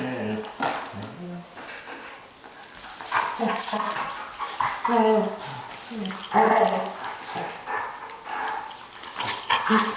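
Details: Dogs at play giving short whining and groaning calls with rising and falling pitch, bursts spaced irregularly over ten seconds, some higher yelping tones mixed in near the end.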